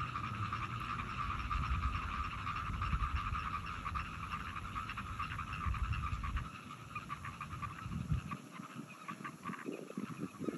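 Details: A dense frog chorus recorded 17 June 2022: many rapid, rattling croaks overlapping into a steady trill.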